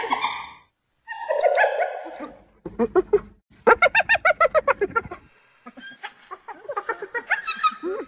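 A hyena gives drawn-out, wavering cries, then a fast run of high, laughing giggles.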